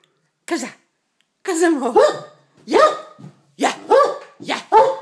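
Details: A male Great Dane gives short, resonant barks in uneven bursts, several in quick pairs, while playing with and attacking a box after being told to get the mouse; a person talks to him in Danish.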